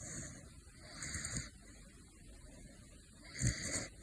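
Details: A male caracal, asleep, snores in soft, breathy bursts, each lasting about half a second, with quiet pauses between. Caracal.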